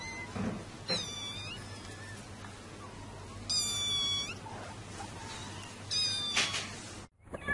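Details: Domestic cat meowing, a sound said to drive away mice: three high, bright meows with stacked harmonics, short and spaced several seconds apart, over a steady low background hum and faint noise.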